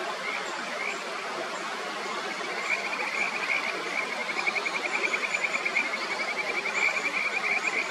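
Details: Kajika frogs (Buergeria buergeri) in the upper Natori River, Miyagi, fight over a favourite stone: one keeps trying to push off the resident, then gives up and leaves. Territorial call is a rapid, high trilling series over a rushing mountain stream.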